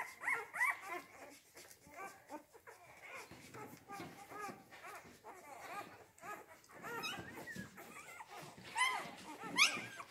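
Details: Rhodesian Ridgeback puppies of Kennel Letsatsi kwa Africa's C litter, born 8 June 2019, chorus of thin high squeals and whimpers tumbling over one another, a few sharper yelps near the end.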